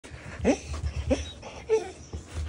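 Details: A male Border Collie, born 2017, gives three brief, high, wavering baby-like whines about half a second apart, pleading for attention when ignored, over a low indoor hum.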